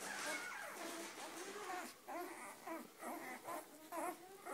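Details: Several Weimaraner puppies whine and whimper in wavering, high cries that come in short, repeated bursts.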